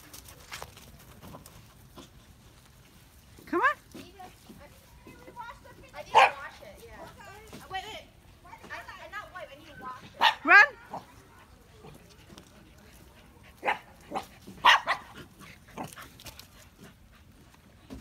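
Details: Corgi meeting two Havanese dogs at a Thanksgiving Day meet-up on 11/22/2018: short, sharp barks come in scattered bursts, around four clusters spread across the stretch, with quiet low-level background between them.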